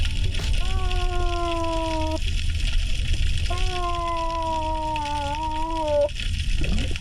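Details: Hawaiian monk seal calling underwater, recorded by a hydrophone sound trap placed in monk seal critical habitat in Hawaiʻi: two long, steady, harmonic moans, slightly wavering, over low water noise.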